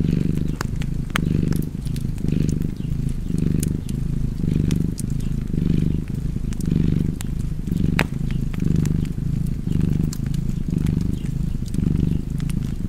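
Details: A cat purring beside a fireplace: a steady low rumble that swells and fades with each breath, about once a second, while sharp wood-fire crackles snap above it.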